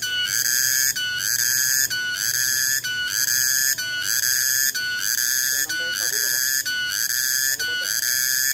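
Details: Cicada, locally called tonggeret, heard on 21 August 2020. A piercing, steady whistle-like buzz with brief breaks roughly every second. Faint lower sounds appear near the end under the insect's constant drone.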